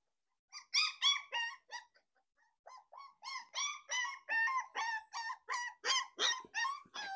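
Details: Home-bred litter of Rottweiler puppies of the smooth-faced line, just over 20 days old, whimpering and yelping: a quick run of short, high, wavering whines, two to three per second, with a brief lull near the start.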